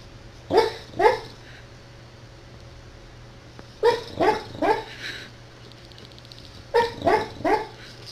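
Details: Angry dog barking: three bursts of loud, sharp barks, first a pair, then three, then three more, with quiet pauses of a few seconds between bursts and a faint steady hum underneath.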